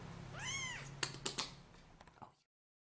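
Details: Kitten giving one short, high, arched meow that rises then falls, followed by a few sharp clicks and taps and a faint low hum.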